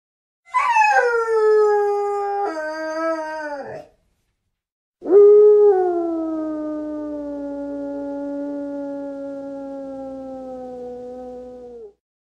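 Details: Dog howling in two long drawn-out tones: a first wavering howl that steps down in pitch, then after a short pause a longer steady howl that slowly falls and fades.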